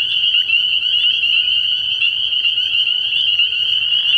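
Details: Spring peepers calling at night from a frog pond early in the year, a dense chorus of high, steady peeps merging into a continuous ringing band, with a faint low hum beneath.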